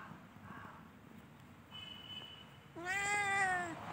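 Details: Domestic cat in spring: after quiet rustling and a thin steady tone, one loud, drawn-out meow, rich in harmonics, rising slightly and then falling, lasting about a second.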